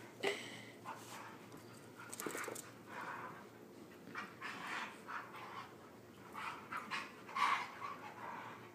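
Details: Playful wrestling between a Husky pup and another dog indoors, nipping at legs: rough panting bursts and scuffling huffs, repeated irregularly over a steady background hiss, with brief human urging.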